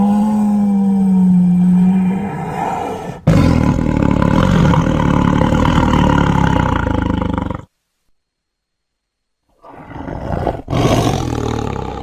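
A tiger gives a deep, rasping roar that breaks into harsh, rumbling bursts.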